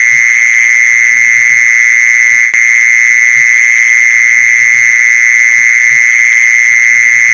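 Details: For luring mole crickets, a steady, unbroken buzzing mole cricket trill holds one pitch from start to end, interrupted only by a brief click midway, with faint low tapping underneath.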